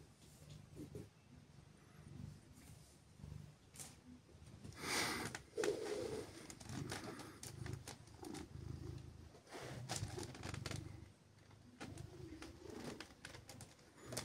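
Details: Siberia, a female silver tabby cat, revving up her purr on a chilly morning while gently petted and cuddled. A low rumbling purr throbs in uneven pulses, with rustling of fur and hands and a loud brushing burst midway.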